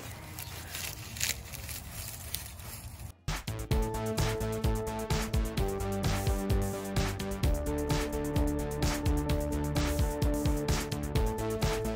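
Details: Rustling handling noise for about three seconds, then upbeat rhythmic music with a steady beat fills the rest.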